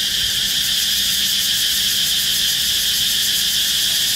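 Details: Cicada perched on the trunk of a red flame tree, filmed up close while calling: a loud, harsh, high-pitched buzzing hiss with fast, even pulsing, held steadily without a break from start to finish.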